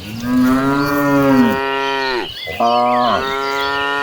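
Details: A herd of tame cattle heading to farm grassland, one long steady moo lasting about one and a half seconds and ending in a falling slide, followed by a second sustained, slightly higher moo.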